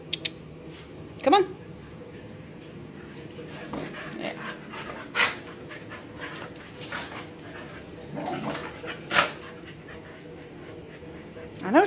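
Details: Dogs Shiva, a puppy, and visiting Tessa and Jack at play; rising whimpery whines at scattered moments over steady panting and soft scuffling, with a woman's voice talking nearby.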